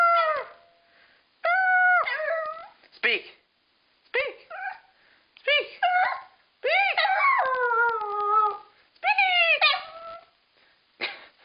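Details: Household female dog that howls once someone starts, at times echoing a howled "I love you"; short whimpering yips, then longer bending howls in a small room, a person's voice alongside.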